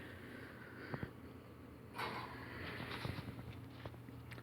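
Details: Only indoor room noise is heard: a low hum, scattered clicks and a brief rustle, with no animal calls. No clear animal voice stands out above the background.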